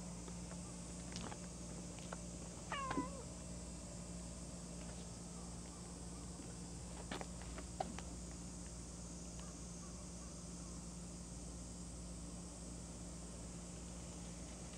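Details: A cat gives one short meow, rising then falling in tone, about three seconds in; the rest is quiet apart from a steady low hum and a few faint clicks.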